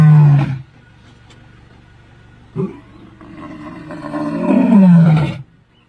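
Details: Old Jock, an old male lion, Sabi Sands, Kruger National Park, 10 October 2023, roars in deep, rumbling bursts: one brief, one long moan swelling then fading, a quieter grunt between.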